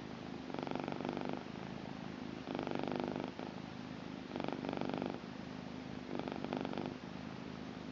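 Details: Blue British Shorthair female cat purring, a steady rumbling purr that swells in pulses about every one and a half seconds, each louder burst alternating with quieter stretches, indoors.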